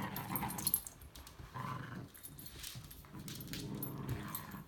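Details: Ayasha, a timid two-year-old female Chihuahua mix weighing 12 pounds, up for adoption with Rover Rescue: low rumbling growl-like bursts come in roughly three spells, each with a faint higher whine above the rumble, between quieter gaps.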